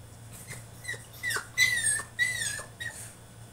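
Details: French Bulldog throwing a tantrum in his cage indoors, giving high, squealing whines that slide downward, several short cries in quick succession, then louder drawn-out squeals in the second half.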